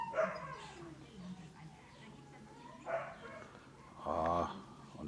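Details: Male Dogo Canario puppy, 11 weeks old, cuddly and playful, gives a short harmonic grumbling whine near the end, after two brief bursts of a person speaking in a quiet room.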